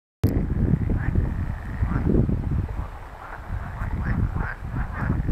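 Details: Pool frogs call in a dense chorus of quacking, rattling croaks that rise and fall together, recorded 24 April 2022 on the Empese en Tondense heide heathland.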